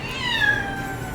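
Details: A Scottish Fold cat gives a drawn-out, slightly falling meow with clear harmonics, anxious while being taken out to the vet for a checkup over a limp; the cat normally doesn't meow.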